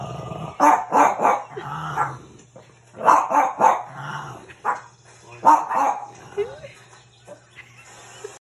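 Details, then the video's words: First encounter of a French Bulldog with his reflection; clusters of gruff barks alternate with quieter grumbling, while a person's voice is heard between the bursts. "our Frenchie barking at his reflection"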